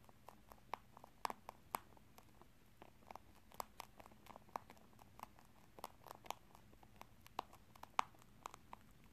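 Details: A pet rabbit eats corn and rice snacks, a favourite treat it is given only a little of, crunching with quick, irregular crisp clicks of chewing.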